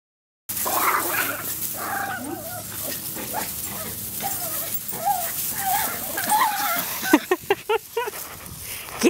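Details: Chihuahua, likely one of several household dogs, with Cassie a rescue adopted into a forever home, whimpering and yipping in wavering whines. A burst of short sharp barks follows near the end, with people talking and urging the dogs on.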